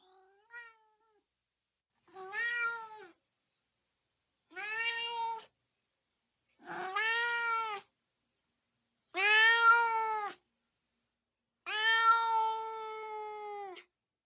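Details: Cat meows for exciting dogs: six meows spaced roughly every two seconds, growing from a short faint cry to long, loud, steady-pitched wails with bright harmonics.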